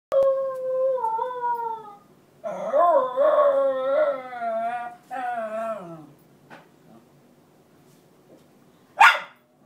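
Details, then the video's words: A female Cairn Terrier cries with long wavering whines and howl-like wails, wanting her bed back. "Cairn terrier crying continues to get her bed back"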